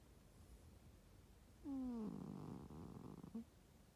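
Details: Cat snoring in bed while a person naps: one long rasping breath that starts with a falling squeaky tone and then becomes a rough, rattling drone, in a quiet room.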